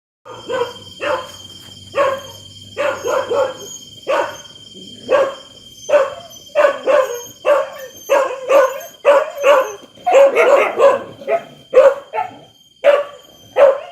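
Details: Dogs barking loudly in a rapid series of sharp, harsh barks, sometimes overlapping as if several answer each other, with a denser burst near the end; a steady high-pitched whine runs beneath throughout.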